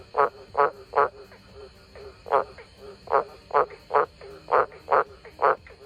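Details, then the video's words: Frogs giving short, rasping croaks in irregular bursts of two or three, separated by brief pauses, with a faint steady high hum behind them. "Sounds of some frogs"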